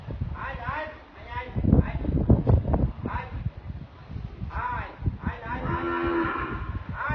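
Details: Dairy cows close to people, giving drawn-out low moos with harmonic bands, two or three calls spread through the recording amid rustling and handling noise.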